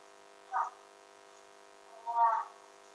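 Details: A recovering Siberian Husky, waiting patiently for his syrup medicine while another dog bothers him, gives two short, mid-pitched vocal bursts, the second longer and fuller.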